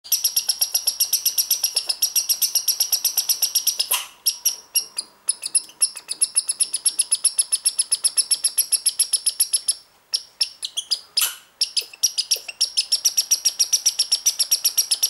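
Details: A young American red squirrel, born this year, gives rapid, high, thin chirps, about four a second. This is unusual behaviour that lasted 2–3 minutes, and the owner rules out a mating ritual because the squirrel is so young.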